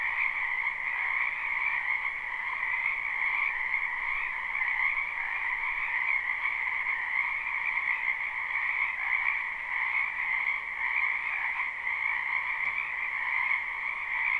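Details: Many frogs croak together in a springtime wetland, captured live with no looping: a steady, even wall of trilling calls in a higher and a middle band, slightly quieter and more distant, with no other voices.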